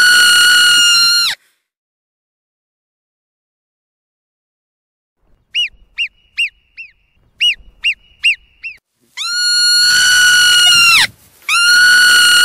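A marmot gives loud, piercing whistles, some long and steady, others short and chirped in quick succession.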